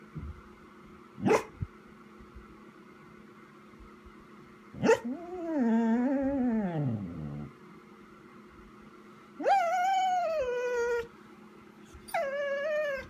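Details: Chica the Vizsla, inside on 12/18/14, waiting for its owner to return: two sharp short yips, then a long wavering whine and two more high, falling whimpers spaced a few seconds apart in a quiet room.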